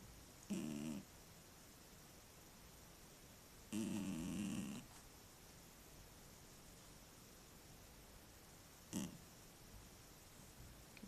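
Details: Male house cat snoring in its sleep at home, a habit described as frequent and loud, captured on a tablet; three rough, buzzy snore bursts, the middle one longest at about a second, with a steady hiss between them.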